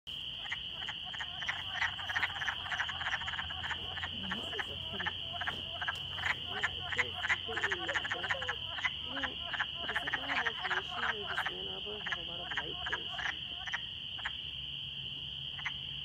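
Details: A spring breeding chorus of wood frogs in Eberwhite Woods, Michigan, gives rapid, rough, duck-like clucking notes, many frogs overlapping, over a continuous, shrill, even trill, with spring peepers also calling.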